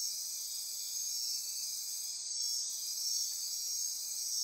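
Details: Dense nocturnal insect chorus in Costa Rica rainforest near Corcovado National Park on the Osa Peninsula at midnight; steady high-pitched buzzing and trilling bands held continuously, with a brief dip in the topmost band midway.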